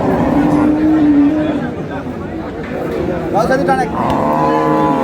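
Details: At Ambari haat, a market selling dairy cows and calves, 15 April '26, a cow gives a short steady moo early on. Voices and market bustle follow.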